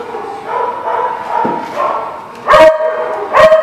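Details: Dog recorded 3/8/19: soft, wavering tonal whines through the first two seconds, then two sharp, loud, ringing barks about a second apart near the end.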